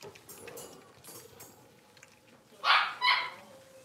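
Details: Blenheim Cavalier King Charles Spaniel puppies, a litter of five born at New Year's, playing in an indoor puppy pen; two sharp, high yipping barks come in quick succession near the end, after soft rustling and faint background noise.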